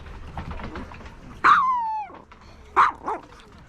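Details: ['A three-year-old female Maltese named Kkomi at the Yangju Gamaksan dog campsite, in front of a large dog: a loud, high, drawn-out whine that slides downward, then a shorter sharp yelp and a softer follow-up over faint background chatter.']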